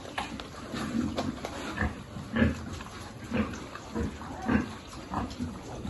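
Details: Piglets and pigs being fed on a farm, producing short low grunts roughly once a second in a steady series, with faint background noise.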